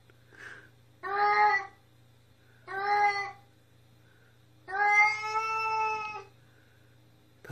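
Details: Indoor pet cat yowling noisily while defecating, three loud harmonic meows about one to two seconds apart, the last longer and steadier, against a constant low electrical hum.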